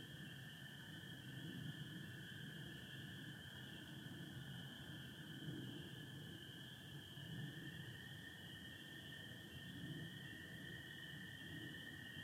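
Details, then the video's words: Night chorus of spring peepers mixed with American toads in Michigan, April 2025, stars visible through some cloud; two unbroken high tonal bands hold steady throughout, with faint low-frequency rumble beneath. "Sounds of spring peepers and american toads"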